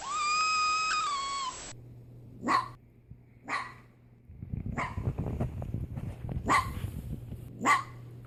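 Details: A male pet fennec fox gives a drawn-out whine, then a series of sharp, harsh screams; fennecs scream loudly and gruesomely even when happy.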